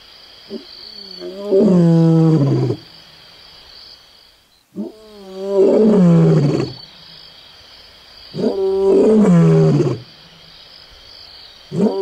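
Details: Close-up lion at Onguma Game Reserve, Namibia, giving longer, higher-pitched moaning roars that rise and waver, each lasting over a second, roughly every three to four seconds, with short rising sounds before each.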